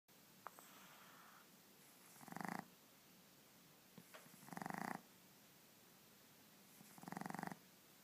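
A Boston Terrier puppy snores in rough, buzzy breaths that repeat about every two and a half seconds.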